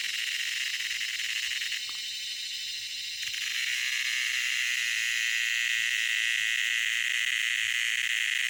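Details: A loud cicada call, a dense, high, hissing drone with a rapid rattling texture, dipping briefly in strength near the two-second mark before returning full and unbroken to the end.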